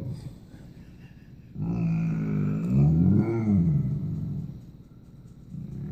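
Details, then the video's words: Basset Hound indoors 'talking' back to his owner: a drawn-out groaning howl that rises and wavers in pitch for about three seconds, with low rumbling before and after and a woman's voice asking whether he loves Mama. "Basset Hound talking to his momma."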